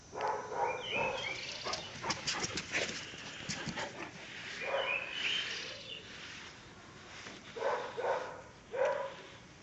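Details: Caucasian Shepherd Dog Pələng, one year and one month old, in Azerbaijan: irregular deep barks in clusters, with a gap in the middle and two separate barks near the end, over steady background noise.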